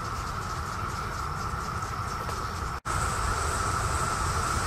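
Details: Brood X periodical cicadas, 2021 emergence, Virginia (Great Falls National Park or Mount Vernon): a dense chorus droning steadily on one held pitch, breaking briefly midway, then resuming slightly louder over low rumbling noise.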